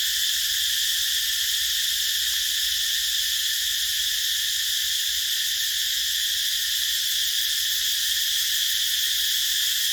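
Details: Unvarying high, rasping drone of a cicada chorus in a rubber plantation, dense and continuous with constant volume and nothing else clearly audible.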